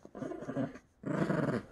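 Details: Lhasa Apso and Yorkshire Terrier play-fighting on a bed indoors, giving two low rumbling growl bursts, each about half a second long, separated by a short pause.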